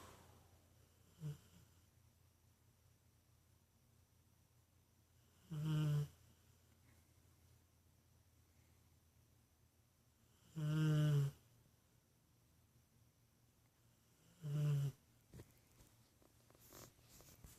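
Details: Max, a pet dog asleep indoors in a small room, snoring: three loud, low, rasping breaths spaced about four to five seconds apart, each lasting roughly half a second, with quiet room tone between them.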